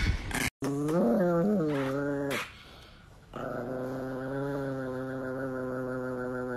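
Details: Angry Chihuahua growling indoors: a long, steady, low rumbling growl with tonal whining rises near the start, a brief drop partway through, then an even sustained growl to the end.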